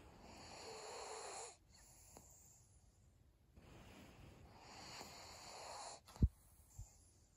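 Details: Maria, a senior pug, breathing in her sleep on 7 February 2022: two long, raspy, snore-like breaths about two seconds apart, each a soft rushing wheeze, followed by a couple of brief snorting clicks.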